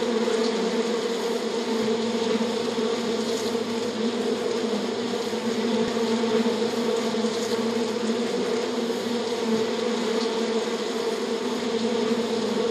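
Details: Many Western honey bees on a honeycomb buzz together in a steady, droning hum with no breaks.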